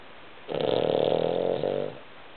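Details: Sleeping Cavalier King Charles Spaniel snoring indoors while a Chihuahua sleeps snuggled against it; one loud, rasping, buzzy snore lasting about a second and a half, holding a steady tone with a brief dip near its end, in an otherwise quiet room.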